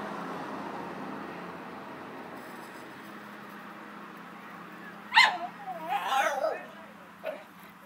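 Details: Dogs at play: after several seconds of steady room hum, one sharp bark breaks out, then a run of higher whining, yelping sounds, and a softer short yip near the end.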